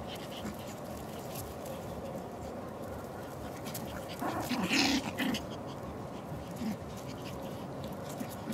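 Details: Ricky, a young Pomeranian Spitz from a Kyiv kennel, pants rapidly and steadily, nearly three breaths a second, while a woman talks to him in Russian in the middle of the recording.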